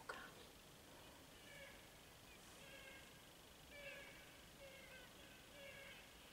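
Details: Fallow deer (Dama dama) gives soft, nasal, mewing bleats repeated about once a second.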